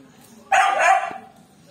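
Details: Playful miniature dachshund giving a single sharp, loud bark that lasts under a second, then quiet.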